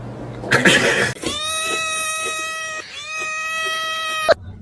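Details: Domestic cat letting out a long, drawn-out wailing meow held at a steady pitch for about three seconds, with a brief break in the middle, after a short burst of rustling noise.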